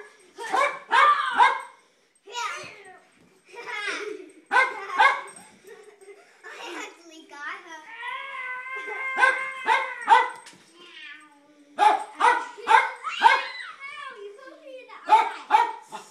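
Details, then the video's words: Jack Russell Terrier barking repeatedly while kids play with light saber swords: rapid, irregular bursts of harsh barks mixed with children's voices and a humming, wavering toy tone, indoors in a small room. "Light saber makes dog crazy"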